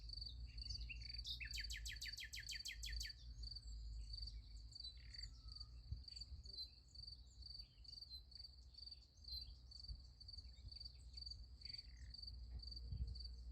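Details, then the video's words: Nighttime crickets near a sunflower field: a loud, rapid rattling trill opens, then steady high-pitched chirping pulses continue over a deep, steady low rumble. "Nice Sunflower Field with Crickets Sound Effect"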